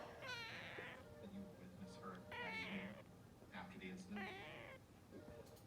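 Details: After a sneeze, a female cat gives four loud, bending meows about a second apart, each sliding downward, while human speech continues underneath.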